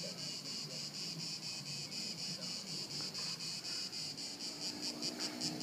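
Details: Crickets trilling steadily in high, pulsing bursts at Haut-de-Cagnes in 2013, with a faint low background rumble.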